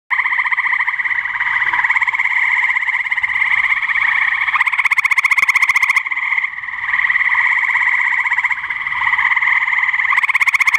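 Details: A male gray treefrog in Cuyahoga County, Ohio, on 30 May 2017 gives a loud, musical, rapidly pulsed trill that runs almost without pause.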